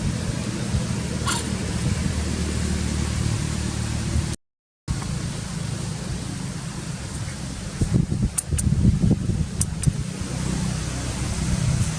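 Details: Steady low rumbling noise fills the recording, much like distant traffic or a running fan. A short silent gap breaks it partway, and a few faint clicks and thumps follow, with no clear animal voice.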